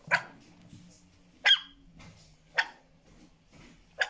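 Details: American Staffordshire Terrier puppy barking in alert at another dog's barking, recorded in 2020: four short, sharp, bright barks spaced about one to one and a half seconds apart over a faint low hum.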